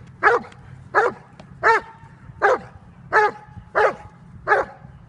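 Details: Seven steady barks, roughly one every 0.7 seconds, from Jovanotti Unreachables, a Serbian-bred Dobermann nearly five years old, at bite training in October 2015. Each bark is short, forceful and rich in harmonics.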